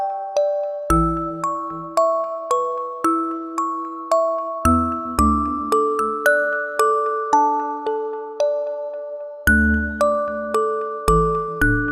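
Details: A tinkling music-box melody of bell-like notes, several per second, gently repeating a lullaby-style tune with soft low tones underneath; no animal sounds are present.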